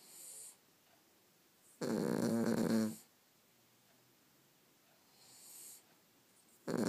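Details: Two Cavalier King Charles Spaniels, Molly and Jenna, asleep and snoring: one long rasping, rattling snore lasting about a second, between quiet hissing breaths, in a small indoor room.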